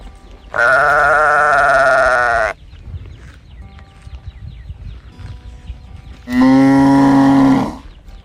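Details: A calf calling as it searches for its mother: two loud, drawn-out bawls of about two seconds each, rich and harmonic with a slightly wavering pitch, separated by a quiet gap with faint steady tones in the background.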